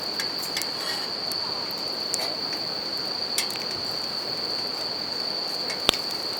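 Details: Steady high-pitched bell cricket trill by a riverside campfire, slightly fainter in the middle stretch, with scattered fire crackles, one loud snap near the end, and a constant hiss of flowing river.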